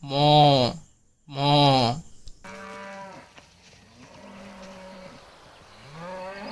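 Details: Cow giving two loud, deep, drawn-out moos in quick succession, then quieter, lower moos and faint background noise.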